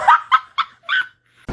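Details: Kitten meowing: four short, bright, rising-falling mews in quick succession over about a second, followed by a brief click.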